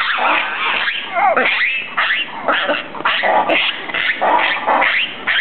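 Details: Chorus of red ruffed lemurs calling territorially at the San Francisco zoo, with pulsing bursts of raucous braying shrieks separated by short dips, several animals overlapping.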